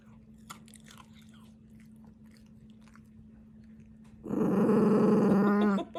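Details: {'animal': 'Dachshund', 'text': 'Dachshund eating slowly, with faint chewing and crunching and a steady low hum, then a loud sustained buzzing growl with rich harmonics lasting under two seconds at the end.'}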